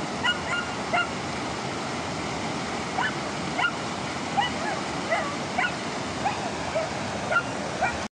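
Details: Crossing a river, a German Shepherd puppy whimpers in a long run of short, thin yelps about every half second, partly buried under constant roaring river noise.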